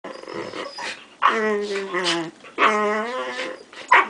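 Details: Dog sounds during indoor play between a 5-month-old Samoyed and a 9-week-old Great Dane puppy with cropped, taped ears: two drawn-out, tonal, whining howls of about a second each, with softer grumbling between them and a short yelp at the end.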